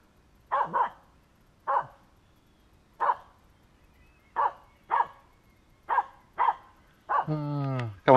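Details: Aamu, a Finnish Spitz, barking at a squirrel during a walk, urged on to terrorize it: sharp single and double barks repeated about every second, ending in a long wavering whine and a final loud bark.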